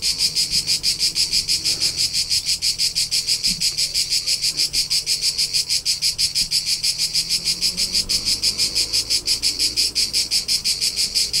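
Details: Constant shrill chirping of crickets from the rolling countryside of Tuscany, Italy: rapid regular pulses near three a second, high and metallic, sustained without pause, with only soft low background hum.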